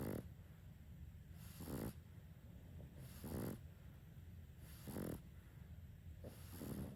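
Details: A sleeping Boston Terrier snores in slow, raspy pulses, roughly one every second and a half, as two Boston Terriers in the house snore together.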